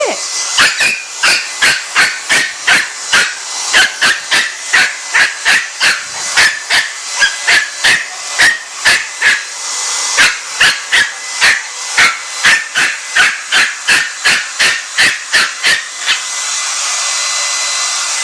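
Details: A puppy that hates the blow dryer attacks it, barking in rapid short bursts, roughly two to three per second, over the steady loud roar of the running dryer, which continues alone at the end.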